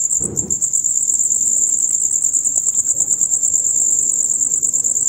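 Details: Male crickets produce a loud rapid chirping concert from dusk until dawn; a steady piercing high trill runs throughout, with a brief low thump near the start.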